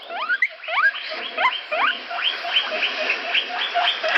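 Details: Guinea pig giving rapid repeated squeaks, each a short, bright note sliding upward in pitch, about two to three per second, steady and insistent throughout, with a faint hiss underneath.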